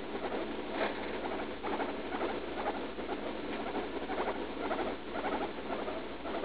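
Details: Guinea pig around three years old, a female, squeaking in pain while pooping after a leaf lettuce treat, June 16th: soft, repeated chirp-like squeaks about twice per second, partly masked by constant background hiss.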